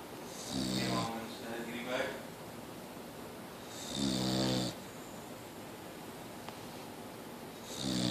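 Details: Boxer dog named Mia still snoring indoors, with rasping, buzzy inhalations roughly every three seconds, one drawn-out snore trailing into a softer second rasp, quiet room noise between.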